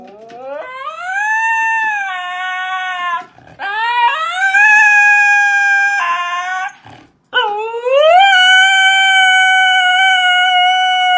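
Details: Pet Siberian Husky in Voronezh, Russia, on April 4, 2021, showing off its vocal skills: three long shrill howls, each sweeping quickly upward and then holding a steady, ringing tone, separated by short breaths.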